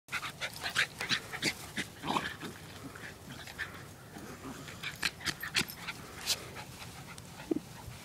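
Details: Wire fox terrier Gracie rough-housing with her foster brother Costello, the two dogs taking turns being "it" in a chase game; irregular bursts of sharp, breathy huffs and scuffling, quickly repeated, with quiet gaps between flurries.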